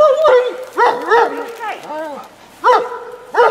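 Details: An excited 11-year-old pet dog, eager for the ball another dog has in its mouth, whines repeatedly in high, wavering, squeaky notes, with several bursts over a few seconds and short pauses between them.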